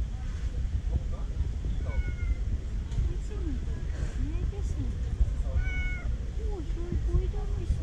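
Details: Tabby cat, a female, meowing for love at a park; scattered brief curved mews and a few higher thin cries, set against heavy low-frequency background noise and a human voice.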